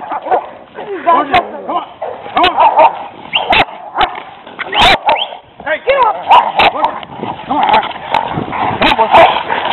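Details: A pet Rottweiler, held back on a leash, clashes with two aggressive stray dogs defending their territory. Loud staccato barks come between wavering high yelps and whines, all under constant human shouting.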